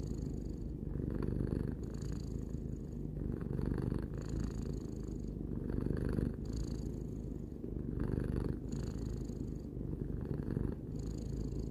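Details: Three-year-old house cat Tarou purring: a dense low vibrating drone, pulsing gently with inhale and exhale cycles about every two seconds across the whole stretch, otherwise quiet.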